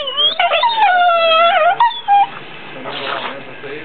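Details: Pit bull brothers playing in bed, where barking is not allowed, give a long harmonic whine that holds steady, dips, then breaks off with a short squeak, followed by soft rustling.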